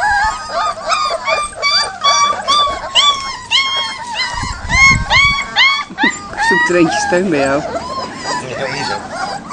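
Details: Panicking Leonberger puppies on their first time outdoors while adult dogs bark; dense overlapping high whines and yelps rising and falling about twice a second, with a low bark-like burst midway and human speech.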